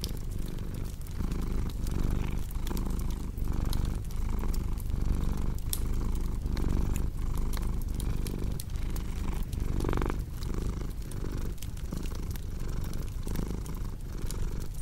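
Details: Continuous throaty cat purr with a regular breathing rhythm, accompanied by bright crackles and occasional louder pops from a burning fireplace.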